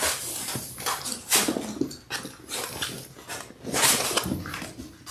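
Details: Six Labrador Retriever puppies in their sixth week, born January 18, 2022, on a live puppy cam on February 28; two brief whimpering cries stand out against a steady background of scuffling and shuffling indoors.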